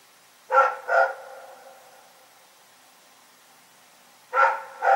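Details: Rex the dog barking in the night: a sharp double bark, a long quiet pause of about three seconds, then another pair of barks starting.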